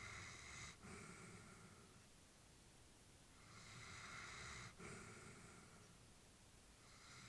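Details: Elderly female Labrador Retriever asleep indoors, breathing softly with faint wheezy, whistling tones; two long breaths roughly four seconds apart, each a hissing inhale-exhale with a brief pause between, plus low rumbling room noise.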